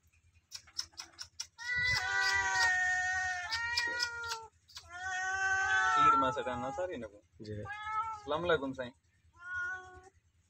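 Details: Two cats meowing loudly: drawn-out, strongly harmonic meows of one to two and a half seconds, some bending down at the end, separated by short gaps, with faint clicks and a low steady hum underneath.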